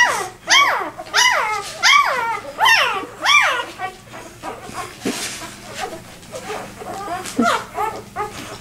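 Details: Two-day-old Vizsla puppy left behind by its six littermates, crying while searching for its mother: a fast series of high, sliding squeals, then quieter broken whines and rustling.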